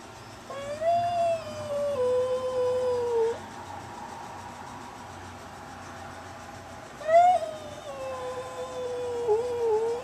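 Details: Facing an aggressive neighbouring cat at the storm door, Velvet the black Bombay gives two long, moaning howls several seconds apart, each starting higher, wavering, then sagging downward, with quiet indoor room tone between.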